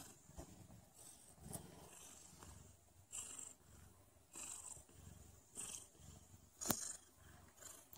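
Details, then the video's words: Mother cat purring shortly before going into labour; a soft, low rumbling purr in rhythmic pulses, broken by scattered brief clicks and rustles. "Cat Mom Purring ♥️ Labor Will Begin in a Moment"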